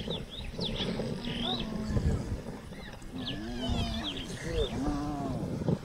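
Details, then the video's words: Spotted hyenas greeting, a subordinate showing submission to a dominant female or older kin. Low drawn-out moaning groans bend up and down in pitch, overlapping one another, while birds chirp faintly in the background. "Spotted Hyena greeting"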